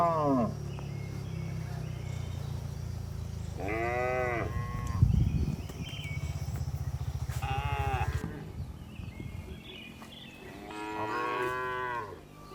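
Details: Afternoon herding of tame village cows returning to the barn: three strong arching moos spaced a few seconds apart, over a long low rumbling drone and a brief thump.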